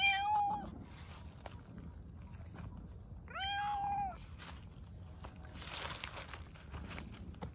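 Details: Hungry stray cats in Istanbul meow loudly, asking for food and attention; two clear drawn-out meows, one at the start and another near three and a half seconds, each steady then falling, over faint street hiss.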